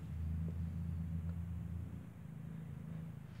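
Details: Steady low electrical hum and rumble indoors ending in a sudden click, with no animal voice.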